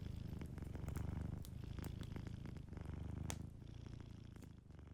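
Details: A sleeping cat purring softly beside a warm fireplace: a steady, low rumbling purr that swells and eases, with sharp crackles and pops from the fire breaking through.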